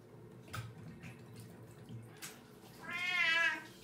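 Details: Gamja, an eight-year-old pet cat, being given a bath at home after a long gap. Soft knocks and rustles come first, then a single drawn-out, wavering meow with rich harmonics near the end.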